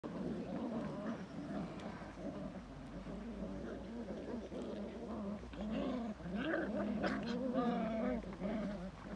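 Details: Belgian Malinois giving wavering, moaning whines with harmonic tones that rise and fall, a continuous grumbling vocal stream over a low background hum.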